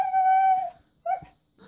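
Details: A talkative female red Siberian Husky 'talks' with a long, steady whine, then a brief yelping note, demanding treats, having just snapped at another dog over them.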